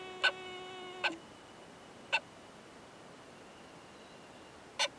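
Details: Oomadarakokunusuto beetle pair from a high-mountain pine forest, the male giving loud "kan kan kan" knocks during mating: four sharp clicks spread irregularly. A brief harmonic tonal sound overlaps the opening second.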